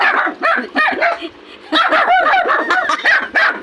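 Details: Poodles bullying a sheepdog: sharp, high-pitched yips and barks tumble out in two busy flurries separated by a short lull, while people chatter in the background.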